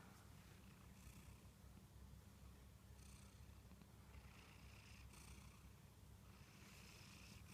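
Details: Munchkin cat snoring while asleep, a continuous low, rough rumble overlaid by hissy breaths that rise and fade about every two to three seconds, recorded quietly and close with nothing else clearly heard.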